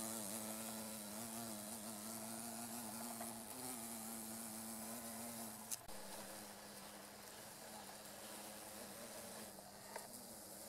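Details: Female carpenter bees (Xylocopa appendiculata circumvolans) sonicating meadow-rue flowers along a railway beside rice fields in Japan, mid-August 2013: a steady, low, droning buzz rich in overtones, briefly broken near six seconds, over a constant high insect hiss.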